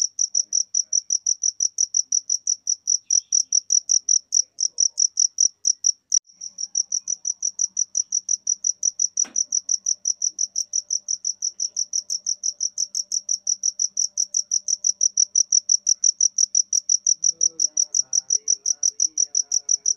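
A cricket chirps steadily, a clear high pulsing trill repeated about three times each second.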